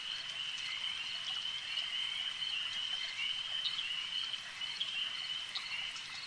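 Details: Chorusing frogs at a lake give a thick, high, vibrating trill that never pauses, with brief sharper chirps standing out now and then above the continuous drone.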